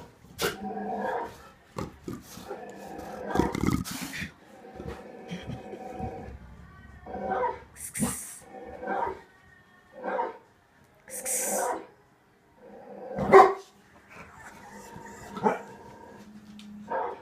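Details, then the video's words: Barking that two pet dogs, Tazz and Venus, try to trace to the TV; repeated harmonic barks and longer whine-like cries, mixed with sharp clicks and a couple of hissing bursts. "Tazz and Venus (who's barking?)"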